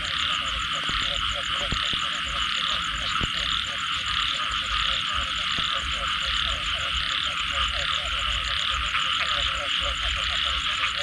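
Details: Frogs calling after rain in a dense night chorus: rapid repeated croaking pulses in the low-mid range over a steady high insect-like trill band, with a faster pulsed buzz above; a few sharp clicks break through.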